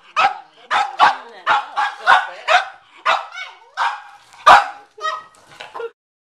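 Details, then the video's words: McCartney, a Cavalier King Charles Spaniel, barking at a watermelon in the garage: a steady run of about ten loud, harmonic barks roughly every half second, ending in a few softer yips. "Bad Bad Watermelon"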